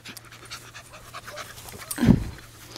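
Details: Male Welsh Terrier puppy, 11 weeks old, born March 3, 2012, greeting Kya, a rottweiler mix, on grass. A single short, breathy burst of panting stands out about two-thirds through, against a quiet background with faint human voices.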